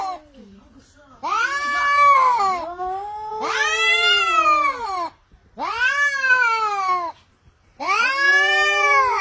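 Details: Cats fighting, giving long, drawn-out wailing yowls that rise and fall in pitch. Four loud, harmonic howls of one to two seconds each are separated by brief pauses, and a short lower moan comes at the start.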